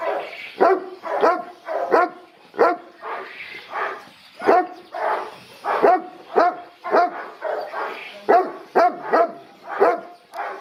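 A Boerboel barks repeatedly in short, gruff bursts, each one broad and throaty with a slight rising then falling edge. The barks come in irregular clusters, about two per second, with brief pauses between them.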